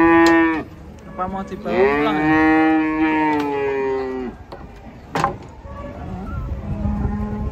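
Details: Unloading from a truck, cattle give a short moo, then a long, strong, even bellow of nearly three seconds, followed by quieter rumbling and a sharp bang.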